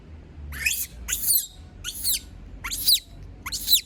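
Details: Female pet monkey crying out when everyone leaves her alone: five harsh, high-pitched squealing shrieks, each sliding downward, repeated a little under once per second.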